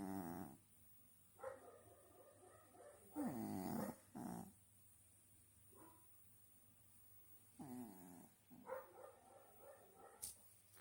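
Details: Lop-eared cat snoring loudly, described as snoring like a man; rough, harmonic breathing bursts in irregular groups, some short and some lasting about a second, with quiet gaps between them.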